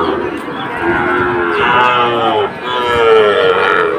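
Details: Sahiwal bull calves at Ambari livestock market, Bangladesh, 2 October: repeated lowing moos with bending harmonics over steady market chatter and crowd noise.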